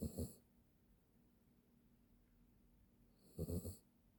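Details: Poodle asleep with its head resting on a person's arm, snoring: two short rasping breaths, one at the very start and another about three seconds later, each made of rapid fluttering pulses, with near silence between them.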